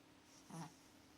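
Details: A sleeping domestic cat snoring while having sweet dreams: one short, soft, low rasping snore-like breath, barely above a steady indoor hum.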